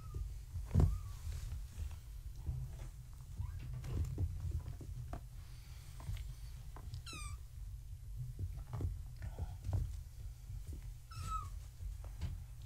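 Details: Kittens of Gaia, a floofy tabby mother, born March 14, 2017, visited at bedtime in their indoor pen as they try to climb the fence; two high, falling, harmonic mews ring out over low rumbling handling noise and soft thumps.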